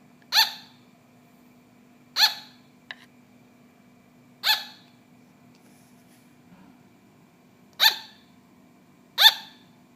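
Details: Pet sugar glider producing five sharp, high-pitched little barks at irregular gaps of one to three seconds, one soft click in between, over a quiet indoor hum.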